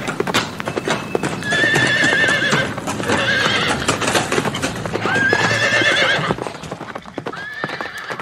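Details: Horses neighing among galloping hoofbeats outdoors; several long, tremulous whinnies rise and waver, while rapid clattering hooves drum steadily underneath throughout.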